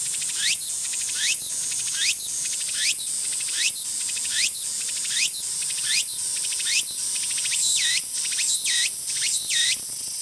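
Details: Tsukutsuku-boshi cicada (Meimuna opalifera) in mid-song, repeating shrill upward-sweeping phrases about once a second, the later ones doubling into quicker paired notes, all over a steady high insect drone.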